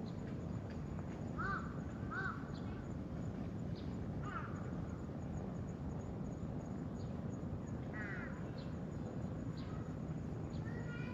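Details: Tortoiseshell kitten, a stray meeting a person for the first time and letting itself be handled. It gives several short, arched, harmonic meows spaced a few seconds apart over a steady low rumble of outdoor background noise.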